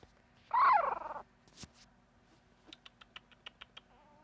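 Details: Puppy letting out one loud, bending whimper, then a quiet thump and a string of soft, evenly spaced ticking clicks, ending with a faint thin tone.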